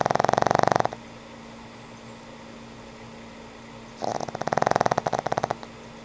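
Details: An aged pug snores in its sleep: a harsh, fluttering rasp ends, a three-second lull with a faint steady hum follows, then another pulsing snore of about one and a half seconds.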